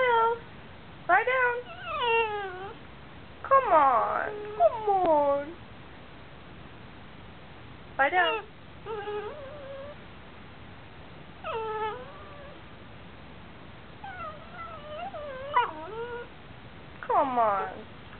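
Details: Crying from a Basenji and Chihuahua mix, made when asked to do something while it needs to go out: many short, bent, yodelling whines, some quickly rising and falling, repeated in clusters every few seconds.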